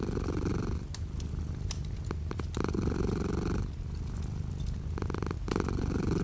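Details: Continuous low, vibrating purr from a house cat, rising and falling with each breath about every few seconds, while light rain patters outside the window in the background.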